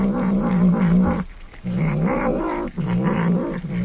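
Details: Hungry domestic cat growling while eating a treat: low, steady, rumbling growls in three long bouts of about a second each, separated by short pauses, with no other clear sounds.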